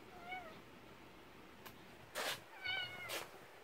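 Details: Cat meowing in a countryside yard where kittens wait as their mother refuses raw fish: two brief wavering meows, one early and one later, separated by loud broadband clattering noises.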